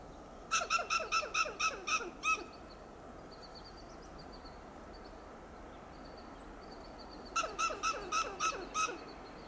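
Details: Staccato clucking alarm of a western gray squirrel in a coast live oak at Del Monte Forest, California: about seven quick harsh barks, a short gap with faint high bird notes, then a further series of rapid clucks.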